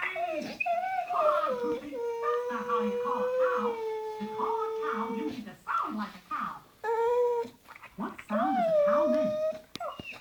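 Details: Male blue Staffordshire bull terrier whining, described as love sick, when a female is in season. Long, high, drawn-out whines waver slightly in pitch, broken by short gaps, over television speech in the background.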